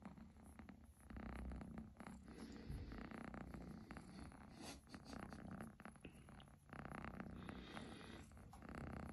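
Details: A kitten's strong, rumbling purr rising and falling with each breath, several long purring phrases separated by short quiet gaps, recorded up close indoors.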